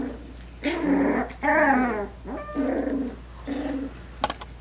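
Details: Coton de Tulear puppies aged five weeks, playing indoors; a few drawn-out, wavering puppy growls and whines about a second long, separated by short pauses, ending in a sharp click.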